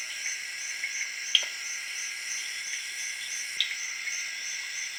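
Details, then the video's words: A late-evening jungle chorus in Zaire, crickets and tree frogs together: continuous high-pitched ringing layers, a rapidly throbbing upper trill, and two loud sudden pops about two seconds apart. "Jungle Serenade:Tree Frogs & Crickets of Zaire in Late Evening"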